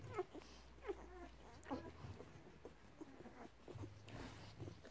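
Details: Seven-day-old Labrador Retriever puppies feeding from their mother, Maggie May, at home in Bristol. Three short, high squeaks come at roughly even intervals over soft suckling and shuffling noises, with a steady low hum underneath.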